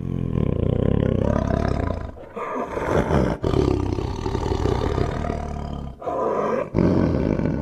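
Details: Tiger roaring in long, deep, rasping bursts with strong low rumbling harmonics, broken by two short pauses near two and six seconds.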